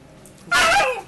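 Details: Alaskan Malamute puppy about 10 weeks old, play fighting indoors in Calgary, Canada, May 2012: a single short, harmonic, yelping growl-bark that slides downward, rising abruptly out of quiet room noise.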